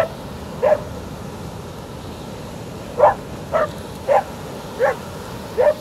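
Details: On a beach, a Border Collie barks at the waves, giving sharp, mid-pitched barks at uneven intervals over steady surf.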